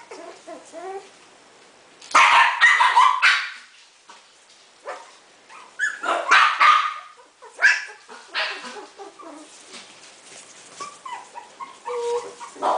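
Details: Four-week-old Coton de Tulear puppies break into a dense, squeaky flurry of rapid yaps. A second tumbling burst follows, then thinner high whines and scattered yips as the litter settles.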